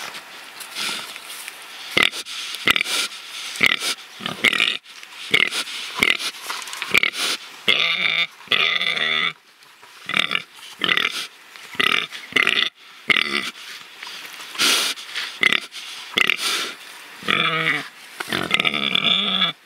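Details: Free-living pigs rooting and truffling; rapid chopped grunts and short squeals repeating roughly every second, with a few longer harmonic squeals in the middle and near the end.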